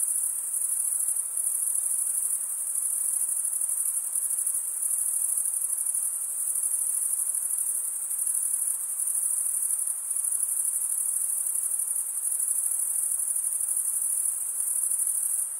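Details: Crickets stridulating with toothed wing veins, producing a sustained shrill trill of very rapid pulses that waxes and wanes gently every few seconds; no birds, wind or voices.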